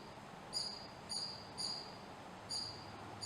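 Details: Female American pika, or rock rabbit, eating lichen and making little hiccup-like sounds: four short, thin, high notes spaced about half a second to a second apart over steady hiss.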